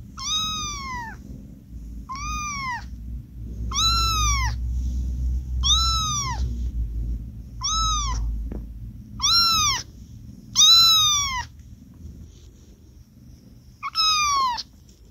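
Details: Lil Dots, a tuxedo kitten and third of stray mother Charlie's litter to open her eyes, kept in an office refuge, meows softly and gently in a series of about nine arched, falling high calls spaced one to two seconds apart, with low rumbling underneath.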